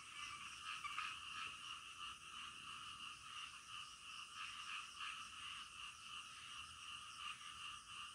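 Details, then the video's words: Distant frogs at night, a soft, blended chorus of overlapping croaks forming a steady droning buzz with faint, irregular peaks and a low background rumble. "SUARA KODOK DITENGAH MALAM"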